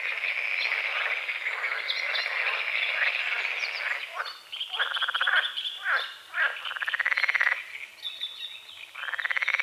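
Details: Frogs croaking at dawn over a small lake at the forest edge, with morning fog on the water: a dense, rapid, pulsing chorus of rasping croaks, some bursts swelling then fading, with high bird whistles and chirps above.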